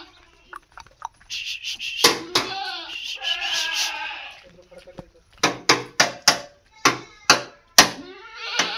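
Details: A Barbari goat gives a wavering, nasal bleat, with people talking and sharp knocking sounds nearby.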